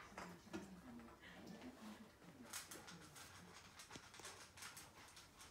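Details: Patako, an Akita, drawing out a lengthy "itadakimasu" ahead of a meal: a string of low, wavering, talk-like moans in the first half, then quieter with scattered clicks and taps indoors.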